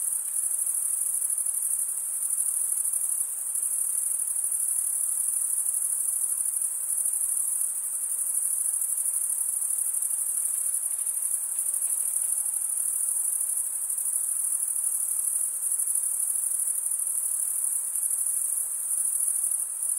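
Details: Several crickets, males stridulating with comb-like wing veins, give a relentless high-pitched ringing trill. It holds at an even level with slight wavering throughout.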